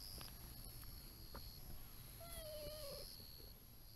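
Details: Affectionate brown-tabby-and-white stray cat following along outdoors, not wanting its companion to leave, gives one drawn-out meow of almost a second, held fairly level and easing slightly downward, over a faint steady outdoor hum and soft rustling.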